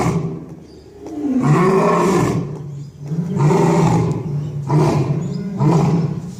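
A lion gives deep, rumbling roars, three long swelling bursts about two seconds apart, low and powerful.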